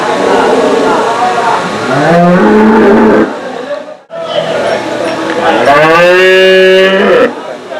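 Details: Desi cows at the Saturday cow market in Chakan, 3 January 2026, for sale: two long, drawn-out moos with steady tonal harmonics, each lasting about a second or more, separated by a short pause, with people talking and bargaining nearby.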